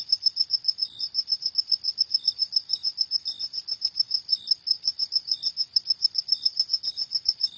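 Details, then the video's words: Cricket calling at night with a rapid series of sharp, high-pitched chirps, evenly spaced, and a quieter lower-pitched chirp heard every second or so. "Suara Jangkrik di Malam Hari"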